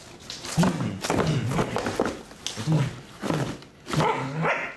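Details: Pembroke Welsh Corgi indoors, scared of a cardboard box, giving short low barks and yips in bursts about once a second, with a few quieter gaps between.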